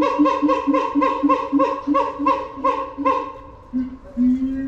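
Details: Siamang Keiji at Higashiyama Zoo, Chikusa ward, Nagoya, filmed February 2021 while in high spirits and screaming a lot: a fast run of loud, harmonic, barking hoots, about every 0.4 seconds, then two longer, lower, rising wails.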